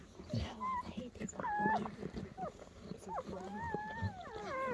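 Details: Freshly born German Shepherd puppies on the night of their birth: short squeaks and a few longer arching whines, the last ones stacking into rising-falling cries, with a person talking softly in the background.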